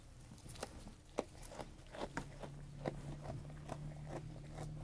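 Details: A sheep eating food, with crisp crunching bites about once a second, brief louder snaps, and a steady low hum in the background.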